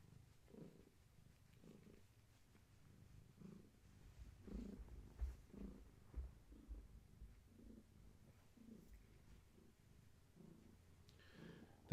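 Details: Long-haired tabby Gaia, heavily pregnant with many active kittens, rests against a person and purrs. There is a deep continuous rumble with breath-paced surges roughly every second and a few soft bumps of handling.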